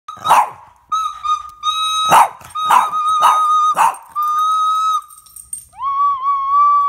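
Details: Boston Terrier named Captain, a pet dog, barking in reaction to someone playing the flute: five sharp, loud barks break through sustained, steady whistled flute notes that hold the background, ending on a wavering tone.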